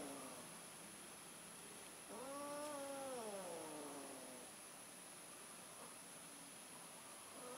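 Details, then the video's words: Domestic cat during mating, one orange cat trying again; a single faint drawn-out yowl that rises then slowly falls, over steady background hiss. "Kucing Kawin, Kucing Orange Nyoba Kawen Lagi Nih"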